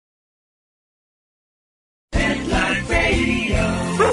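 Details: Two seconds of silence, then a busy jingle-like music intro with no animal sounds.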